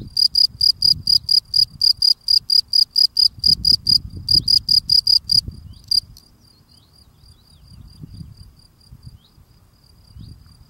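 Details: Field cricket, a male, sings as he cleans his burrow steps; rapid bright chirps repeat for about six seconds, then stop, leaving quiet low rustling and scuffing of digging.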